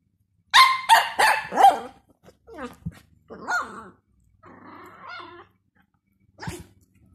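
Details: Jack Russell girl, 12 years old, and a three-month-old Dachshund puppy boy. Four rapid, ringing barks open the sequence, followed by softer whines, grunts and a faint human voice, ending with one more sharp bark.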